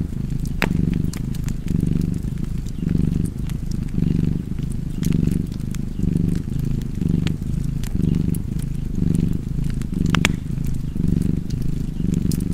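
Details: Steady purring from a cat beside a fire, a low vibrating drone pulsing with each inhale and exhale about every second, punctuated by bright pops and crackles of burning wood.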